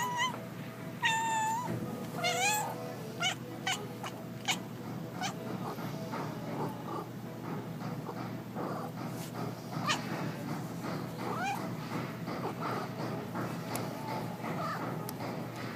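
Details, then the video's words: Kiwi, a pet cat, making a lot of funny noises: several tonal, sliding meows with bright harmonics in the first three seconds, then scattered short clicks, taps and rustling over a steady low background hum. "Kiwi makes a lot of funny noises"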